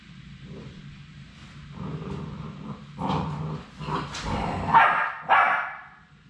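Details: Three Labrador Retriever puppies on their final day at High Desert Labradors, before departing to their forever homes, make low grumbling growls that build into several sharp rising yips toward the end, with faint room noise beneath.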